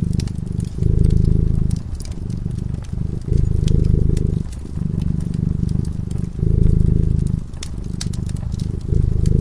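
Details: Sleeping cat by a cozy fireside, purring in a low, rattling drone that swells and fades with each breath, roughly every one to two seconds, while the flames snap and crackle.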